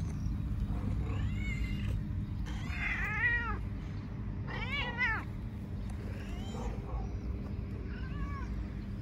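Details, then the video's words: Hungry stray cats meowing constantly outdoors: a series of loud, drawn-out meows with rising-then-falling, wavering tone, several overlapping voices, about five calls over nine seconds against steady low traffic-like rumble. "Stray Cat Meowing all the time because very hungry"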